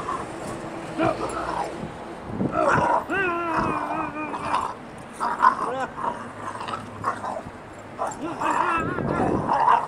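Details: Bella, a three-month-old puppy mad while playing outdoors, gives wavering high whines and yappy barks, one long drawn-out whine in the middle, amid faint human speech.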